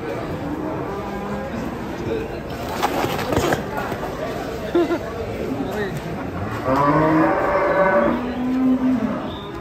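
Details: While a large, agitated Pegon steer is unloaded from a truck, a loud, rising moo rings out near the end, preceded by scattered lower lowing amid voices and clattering.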